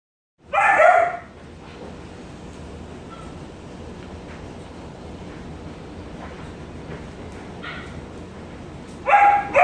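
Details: Four-week-old Alaskan Malamute puppies give short, high yips at the start and end, with steady background hiss between.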